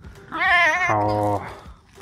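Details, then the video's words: Pet fox, a tame vixen kept at home, complaining after not seeing her owner all day: a wavering high whine dropping into a lower, steady droning moan lasting about half a second. "Лиса Алиса (Весь день не видела!!)"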